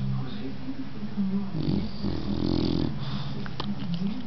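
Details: Domestic dog snoring, a low droning breath with a louder rasping snore in the middle, steady background hum.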